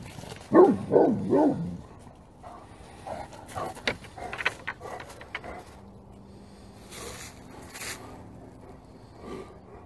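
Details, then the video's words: Several Great Pyrenees dogs bark together at full force in a burst of deep, loud, repeated barks, then fainter scattered barking. "グレートピレニーズ 犬 鳴き声 みんなで全力で吠える Funny Dog Great Pyrenees Bark"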